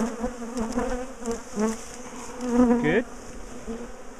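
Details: Bees swirling around a top bar hive during the splitting and relocation of a large, aggressive colony; layered buzzing that rises and falls as single insects fly close, one passing with a quick swooping pitch drop.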